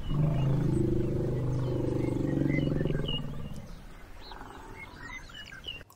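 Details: A Southern African elephant gives a deep, throbbing rumble lasting about three seconds, then fades; a few birds chirp faintly in the background.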